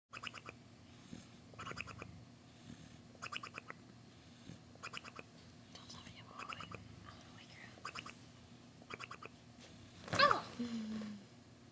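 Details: A bulldog snoring indoors: soft, rasping breaths in short bursts about every one and a half seconds, with a brief louder sharp noise near the end.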